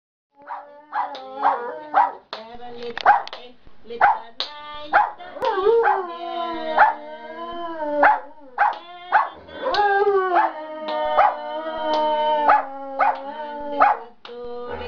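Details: Giant panda in a good mood, singing leisurely in the afternoon: steady, harmonic, droning tones that waver slightly and bend downward, broken again and again by sharp clicking bursts, with one louder warbling stretch near the middle.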